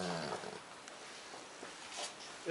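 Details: Rhodesian Ridgeback named Becolina asleep on New Year in Cuautla, Morelos, Mexico, giving a low rumbling snore with harmonic bands at the start, then quieter breathing; a person speaks Spanish nearby.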